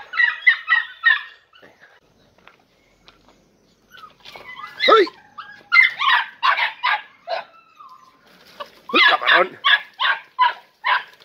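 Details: Three-and-a-half-month-old Podenco Andaluz pups, among them Coco, Camarón, Roca and Última, entering a training enclosure for the first time; bursts of sharp, quick yelps, a quiet gap of about three seconds, then another run of barks.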